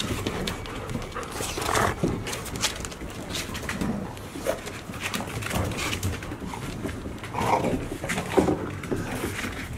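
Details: Golden Retriever puppies about six months old, nearly the size of their mother, recorded with the mother dog in October 2018; panting and snuffling sounds with soft scattered whimpers and movement noise throughout.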